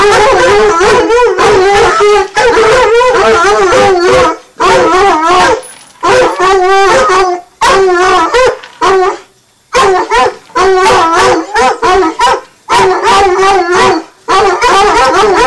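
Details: A pair of young Redbone Coonhounds, nine months old, baying at a tree: a long run of loud, wavering, chopped bawls, sometimes overlapping, with several short silences between volleys.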